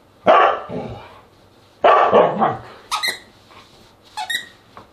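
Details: Dinner-time barking from a Siberian Husky, recorded August 10, 2022: two loud rough barks followed by rasping tails, then thinner, higher squeaky yelps near the end.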